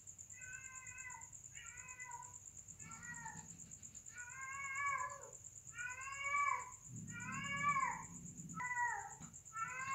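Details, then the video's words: Domestic cats mating: a run of about eight drawn-out, harmonic meowing wails in ten seconds, each bending up and then down, some louder and rougher, over a steady high insect trill and low background hum. "Momen Lucu dan Menggemaskan saat Kucing Sedang Kawin"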